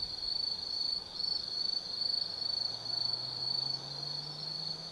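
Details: Night chorus of autumn forest insects at Tsukimi no Mori in Kaizu, Gifu Prefecture, Japan, heard from a high viewpoint: a piercing high trill swelling in short pulses about twice a second, over a faint low rising hum.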